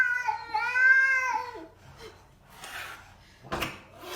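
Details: Domestic cat producing one weird, sustained, tonal meow lasting about a second, followed by quieter breathy and scuffling sounds indoors.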